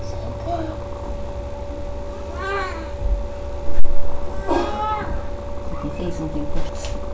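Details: Pet cat Sasha in labour with her three kittens, May 14th 2011: two rising-then-falling meows about two seconds apart, a sharp knock midway, low room hum and quiet voices.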